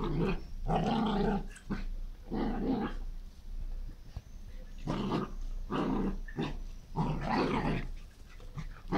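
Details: Dog raging in a garden, harsh guttural growling in rasping bursts with brief gaps, occasionally breaking into a snarled bark.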